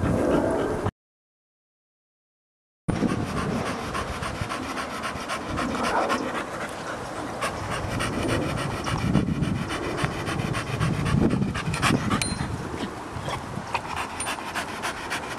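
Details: Rapid, rough panting from T-Maximus, a blue pedigree Staffordshire Bull Terrier stud dog aged two and a half, about four breaths a second, broken by a short silent gap early on, with occasional faint clicks.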